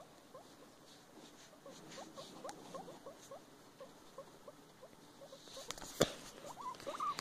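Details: Female pet guinea pig busy with her food near a box fort. Soft, short rising squeaks come in quick series, quiet against a faint background, then a sharp clatter near the end.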